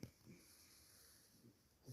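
A French Bulldog snores in low, rough, breathy rumbles at an uneven pace.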